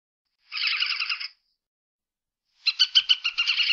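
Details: Badger calling with a short, even buzzy chatter, then after a silent gap a series of sharp, high, pulsed notes repeated several times a second; no other sounds.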